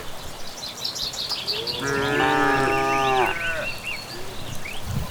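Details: Cattle returning from grazing on an evening in the Indonesian countryside, one long harmonic moo lasting about a second and a half, with chirping evening birds calling above it throughout.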